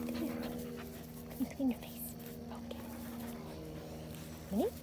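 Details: Vizsla dog during a game of fetch gives short, high, rising whines in quick pairs and again near the end, over a steady low hum, with a person's voice nearby.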